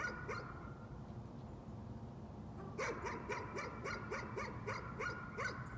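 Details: A dog barking as a neighbourhood nuisance: two barks at the start, a pause, then a rapid chain of roughly ten harsh barks repeating about twice a second against a constant low hum.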